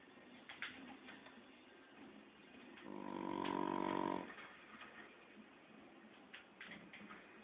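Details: A 15-week-old Shar Pei puppy snoring while asleep indoors: one loud, drawn-out rasping snore of about a second with a tonal, layered buzz, framed by softer noisy breaths and faint clicks before and after.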